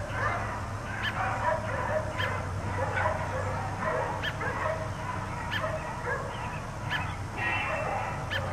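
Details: Outdoor barking by four dogs left out all day, a steady string of sharp barks and higher yips spaced about a second apart, with a continuous low hum in the background.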